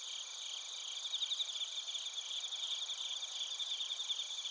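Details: Night chorus of bell crickets and other crickets at Narita, Chiba, Japan, recorded with a TASCAM Portacapture X8: layered high ringing trills with bursts of rapid pulsed chirps swelling in the middle.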